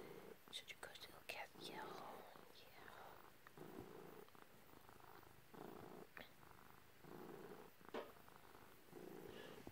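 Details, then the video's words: Pet cat purring as its owner strokes it, one of two cats indoors; a continuous low rumble pulses on each breath in and out, broken by light taps, rustles and brief clicks of handling. "Just some kitty loving & purring"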